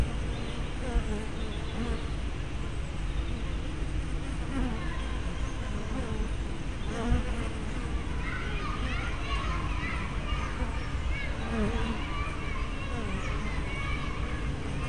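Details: Honey bees at a hive entrance, 24 May 2012, captured on a small spy camera with a 180-degree fisheye lens: overlapping low droning hums rise and fall as bees fly past, over a steady background hum.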